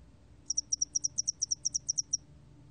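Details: Spotted-wing hairy cricket song from a 2020 recording: a short train of about fifteen very high, thin pulses in quick regular succession, lasting under two seconds, over a quiet low hum.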